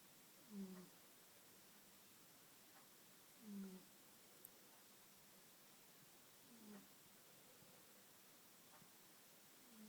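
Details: Barnaby, a pet cat, sleeping indoors and snoring softly: a low, brief snore roughly every three seconds, three breaths in all, over a quiet room hiss.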